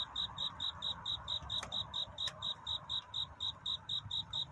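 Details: Chirping cricket at night, its song a search for love: crisp, high pulses repeating roughly three times a second, with two brief clicks and a low rumble beneath.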